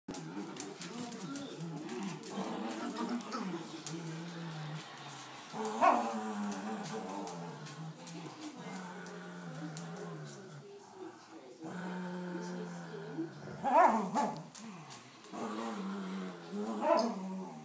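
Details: Two playful pit bull pups, one loud and awkward, trying to get the other to play: continuous low grumbling growls and moans with a few sharp yelping whines breaking through, plus faint human speech.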